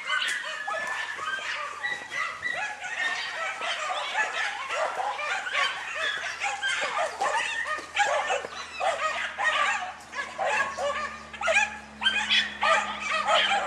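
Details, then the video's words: German Hunting Terrier named Dunja barking while hunting wild boar; dense, rapid barks from several dogs overlapping continuously, high and sharp, with steady engine-like hum underneath. "DEUTSCHER JAGDTERRIER DUNJA VS WILD BOAR-DUNJA NA VEPRA"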